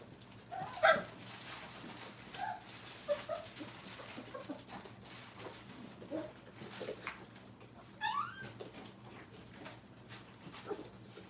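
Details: Five-week-old Brittany puppies learning crate training indoors give short high whimpers and yelps: a sharp cry near the start, scattered squeaks through the middle, then a rising cluster of yelps later, over a low steady room hum.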